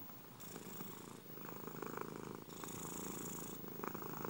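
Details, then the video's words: Domestic cat purring, offered as relaxing sleep sound: steady low rumbling vibration that swells and eases in breathing cycles, with brighter hissy phases roughly every second or so, close and indoors-sounding. "ronronnements des chats"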